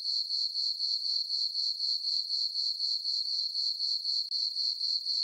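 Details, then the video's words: Crickets at night in a moonlit farm meadow in summer: a shrill, tonal chirping that throbs steadily about four times each second, with one brief dropout near the end. "Cricket chirping sounds for sleeping"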